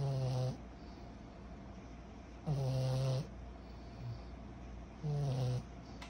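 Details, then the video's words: Sleeping pug puppy Kyro, 14 months old, snores in a steady rhythm: three loud, low, rattling breaths roughly every two and a half seconds, with soft wheezy breathing between them. "Our SNORING 14 months old PUG PUPPY"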